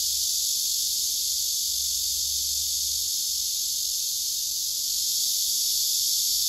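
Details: Male cicadas singing, one answering very loudly; a silent male works its abdomen toward a female. A dense, steady high buzzing drone runs throughout without pause, with faint low rumble beneath.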